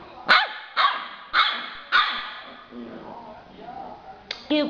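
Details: A two-month-old yellow Labrador puppy lets out four quick, shrill barks roughly every half second, then quieter muffled sounds and a couple of brief high squeaky yips at the end.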